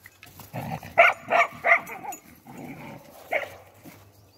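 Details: Spanish mastiff barking on a farm on 6 January 2021: a quick run of three loud, harmonic barks about a third of a second apart, a rougher low stretch, then one more sharp bark.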